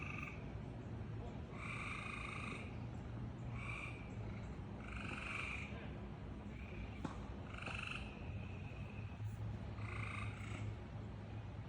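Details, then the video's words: Weird noises from a frog: buzzy, harmonic croaks, each under a second long, repeated roughly every two seconds, with a constant low droning hum underneath and a faint click midway. "Frog is making all these weird noises"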